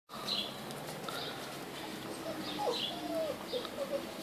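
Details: Tosa Inu puppies, a litter at a kennel in Romania: several short, high whimpers and squeaks, some rising then falling, scattered over a steady background hiss.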